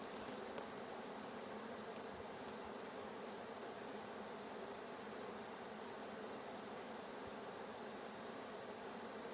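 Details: Many honey bees of a fresh swarm buzz as it is guided into its hive, near villages; a steady, full-bodied humming drone with no pauses, a brief click near the start.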